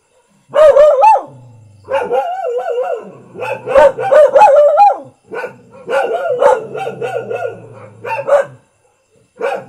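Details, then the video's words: Ordinary Thai house dog barking in loud clusters of rapid, strained barks with wavering tone, several bursts across ten seconds separated by brief quiet gaps. "เสียงหมาเห่า หมาบ้านๆ Dog Sound"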